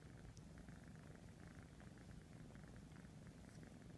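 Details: Ralph, a kitten of three and a half months, purring while grooming his siblings to keep them clean; a steady, low, pulsing rumble that runs unbroken through the whole stretch, with faint soft rustling above.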